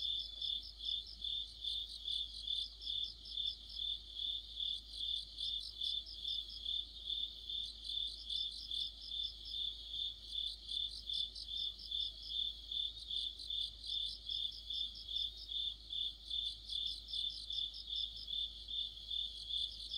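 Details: Crickets and other insects singing together in the middle of autumn, near a streetlight: a dense chorus of high chirps pulsing about twice a second, steady and overlapping, with a higher trilling layer above it throughout.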